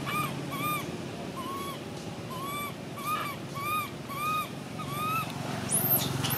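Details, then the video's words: Baby monkey giving arched, tonal cries about twice a second, each rising then falling, over steady low background rumble, with a sharp high shriek near the end. "Why is this cute baby monkey screaming"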